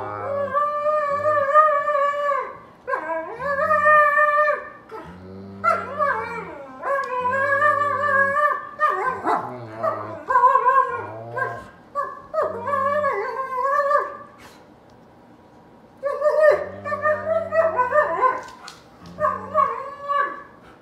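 An Alaskan Malamute gives drawn-out, wavering howls and yodelling grumbles in short bursts.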